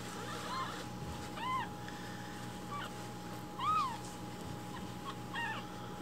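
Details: Rescued baby kittens ask for their morning milk, giving a few spaced, high arched meows over a quiet background hum.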